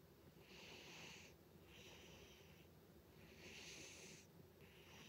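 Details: Sleeping cat Butters snoring loudly, a rhythmic series of raspy, hissing breaths, each lasting under a second, some stronger than others, in a still indoor room.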